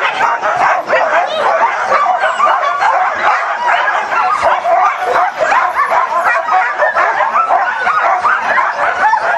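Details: Eager huskies at Caribou Crossing, Yukon, on 15 May 2013: a dense, continuous chorus of high yips, whines and yelping howls from many dogs at once, overlapping without pause.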